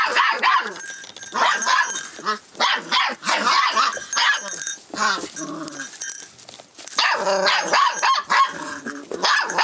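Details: A 44-day-old Rough Collie puppy, filmed 25 February 2012, responding to changes around it. High-pitched yapping barks and yips run almost without pause, in rapid uneven bursts with brief gaps.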